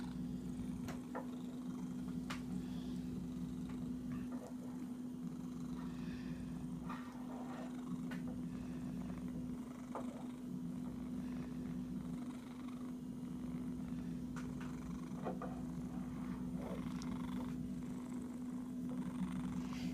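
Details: An itchy cat keeps up a steady, low rumbling purr for the whole stretch, with scattered sharp clicks, scratchy rustles and soft knocks nearby.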